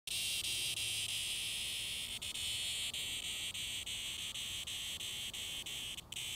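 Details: Cicadas found on sidewalks in 2020, making a steady, high, hissing drone that runs unbroken through the whole recording, with faint ticks repeating about three times a second and a brief dip near the end.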